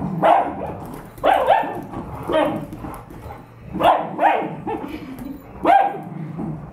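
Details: Barks during play between a 2-year-old Bernese Mountain Dog and a 13-year-old Dachshund, caller unspecified; about six harsh, mid-pitched barks come roughly once a second, each with a brief rough tail, over a low murmur.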